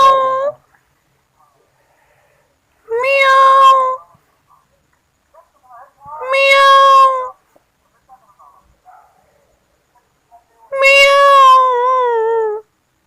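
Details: Kittens at home meowing: four drawn-out, clear meows spaced about three seconds apart, each a second or more long with rich harmonics, the last one longest and wavering downward, in a quiet room.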